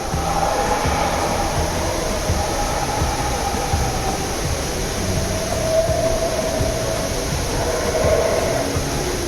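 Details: Distant howler monkeys in the Chiapas jungle, Mexico, unseen in trees, give a deep, droning, near-continuous roar likened to a T-rex, swelling and fading from every direction, with some background noise between.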